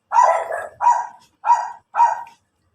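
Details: Pomeranian named CJ in Labrador, Pangasinan, Philippines, giving four sharp, bright barks in quick succession, one roughly every 0.6 seconds, the first slightly longer and doubled, against an otherwise quiet background.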